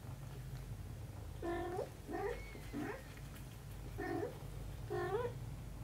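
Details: Mother cat with her kitten daughter, meowing five times in under six seconds; the calls are short and nasal with a rising upturned ending, some clipped and quick, over a low steady background hum.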